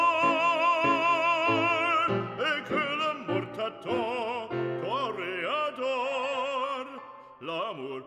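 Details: Operatic singing over an orchestra, with wavering sustained vocal notes and no animal voice.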